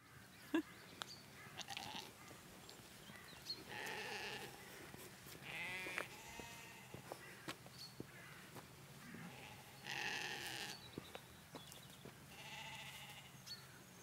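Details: Noisy farm sheep bleating because they expect to be fed, loud wavering bleats coming in bursts every few seconds from several animals, with clicks and handling noise between calls.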